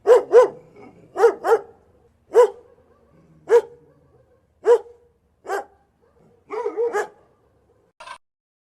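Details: Dog barking in short, sharp single and double barks, about one burst every second, ending with a quick cluster of yips and a faint final bark.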